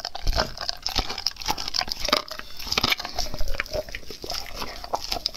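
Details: A dog chewing raw food close to the microphone. Quick crunches and crackling bites come in uneven bursts, with moist smacking between them.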